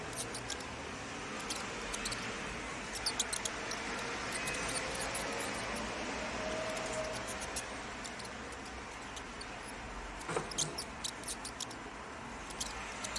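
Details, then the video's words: Mouse giving high-frequency squeaks, thin bursts in loose clusters every second or so, set against a steady broad rushing noise that swells and fades. "Mouse squeaking sound"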